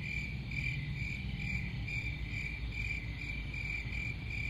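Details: Short stretch of cricket song: high, thin chirps in quick pulsing bursts, set against a strong low rumble that dominates the lower range.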